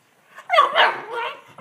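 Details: Ten-week-old Olde English Bulldogge puppies playing: a loud, high, harmonic yip or short bark that swoops and wavers over about a second, with a quieter trailing whine.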